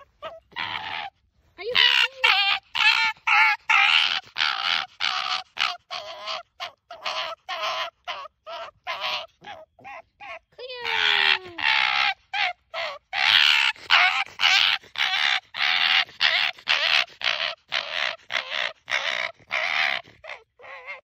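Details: An excited, happy Arctic fox (Vulpes lagopus) gives a rapid run of harsh, raspy yaps with a few whining squeals.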